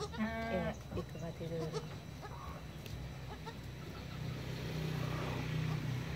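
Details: Two young goat kids, born 1 January 2019 at dusk, learning to walk: a short quavering bleat opens, followed by a few softer broken bleats, with people talking nearby and a steady low hum.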